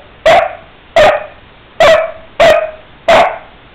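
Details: Angry Basset Hound barking at the world, apparently upset, while the owner asks what he wants: five loud, deep barks, each a sharp burst with a short ringing tail.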